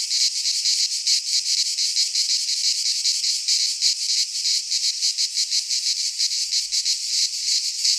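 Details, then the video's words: Greek pine forest cicadas in midsummer produce a loud, metallic, high buzzing wall of sound, pulsing roughly three times a second, with a faint low thump near the end. "Cicadas singing in midsummer - Nature sounds from the Greek fauna - Sounds of cicadas"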